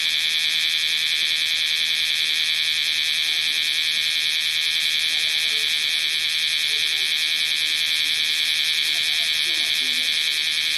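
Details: Bear cicadas in Osaka city during summer 2010: a dense, unbroken high-pitched buzzing chorus with steady loudness and no pauses, with only faint low noise beneath it.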